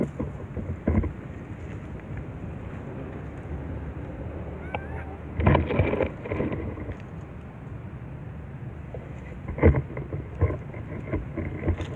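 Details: Rumbling low wind and handling noise with a few brief louder knocks and faint voices, no animal call standing out.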